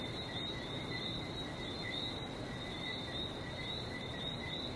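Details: Frogs in Barbados near the sea keep up a seamless high-pitched chorus, two stacked tonal layers with faint flickering notes, over an even roar of distant surf.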